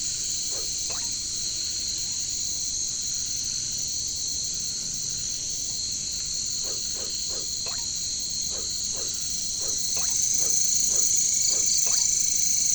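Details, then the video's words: Katydids, called caricangkas, in a jungle setting: a steady, shrill high buzzing drone in several layered bands, with short rapid frog-like croaks rising through it in loose bursts, growing slightly louder near the end. "bunyi caricangkas katydids bush crickets"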